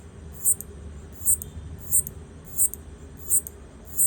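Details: Clicking of a locust signalling to its partner, iPhone recording: six bright, brief clicks spaced evenly, roughly two every one and a half seconds, above faint low background noise.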